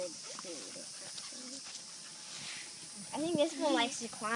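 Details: Litter of 52-day-old Kishu x Shikoku puppies playing: several thin, wavering whines and squeaky yips with rising and falling pitch, quiet at first, then a louder cluster of overlapping yelps near the end, over steady hiss.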